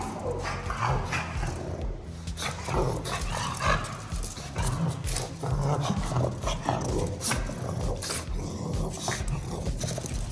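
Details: Snoring pug, heavy low rumbling breaths repeating steadily throughout, with rough snorting bursts and a continuous low hum underneath.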